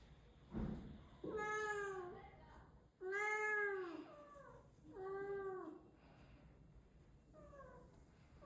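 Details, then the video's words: Indoor domestic cat giving four drawn-out harmonic meows about every two seconds, each arching up then down, the last softer; a brief thump at the start and quiet room noise between calls. "Meow #cat sound"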